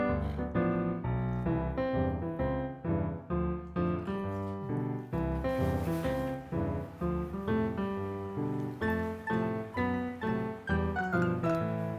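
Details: Bright piano and electric keyboard music with a light rhythmic accompaniment fills the recording, with no animal sounds.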